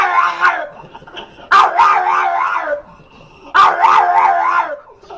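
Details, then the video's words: Long, wavering, rich-toned yowls from a dog, three drawn-out cries separated by short pauses of near quiet. "NOISE&BARKS DOGS"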